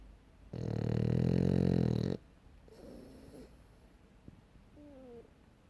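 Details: A French Bulldog snores with one loud, low, droning breath of nearly two seconds, followed by a softer rasp and faint small sounds in a quiet room.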